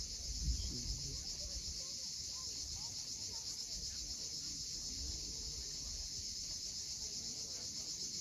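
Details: Cicadas on the steep seaside cliffs of Cape Fiolent, Crimea, at sunset: an even, high-pitched buzzing wall of sound, lightly pulsed, with louder wave thumps at the start and the steady wash of the sea.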